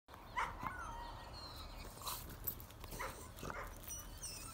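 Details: A French Bulldog guards a Pitbull and a Bullterrier, giving sharp, gruff barks in quick bursts.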